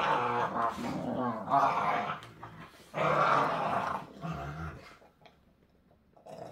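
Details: American Pit Bull Terrier puppies play-wrestling, a young puppy with baby teeth snarling at an older rescue pit bull; rough, raspy growls come in two long bursts with shorter snarls between, then fading to near quiet.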